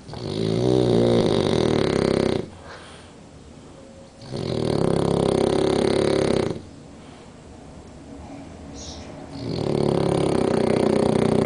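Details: French Bulldog napping with one eye open, snoring heavily: three long, rasping, buzzy snores of about two seconds each, separated by quieter pauses of breathing, in a quiet room.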